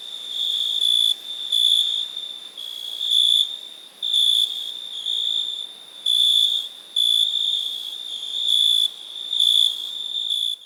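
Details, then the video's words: Cricket song as a continuous high whine, with louder chirping bouts of about half a second to a second, separated by short quieter gaps, against a dense insect chorus. "Cricket Sound Effects"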